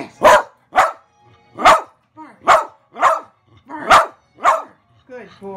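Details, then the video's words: Excited pet dog barking on command after its owner returns home: about eight loud, harsh barks spaced half a second apart, some ending in whiny upward slurs, with a short whimper at the close. "Ty barking excitedly"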